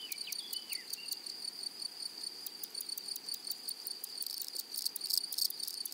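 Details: In a flowering prairie, grasshoppers keep up a fine, rapid rasping tick over a constant high hum, growing into a denser, louder buzz near the end, with a short whistled bird phrase at the start.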